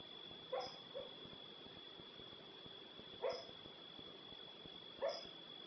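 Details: Sleeping female dog giving brief muffled woofing yips, a quick pair early on, then single bursts roughly two seconds apart, with a constant thin electronic whine in the background.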